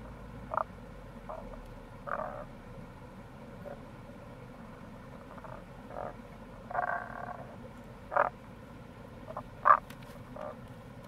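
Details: Tago's brown frog (Rana tagoi), April, by the Kamo River gorge in Itoshima, Fukuoka Prefecture, Japan; low gruff croaks spaced about every second or two, some doubled, against a steady stream murmur.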